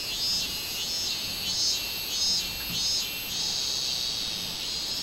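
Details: Song of a robust cicada on 24 July 2016: shrill, rasping buzz rising and falling in rhythmic swells about every half second, with a continuous high whine beneath.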